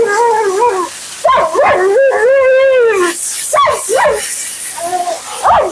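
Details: Vocal Siberian Husky Mila, on her second-ever grooming visit, keeps up nonstop commentary: warbling, wavering whines, quick rising-and-falling yips, and a smooth sustained arching moan in the middle, with some hissing background noise.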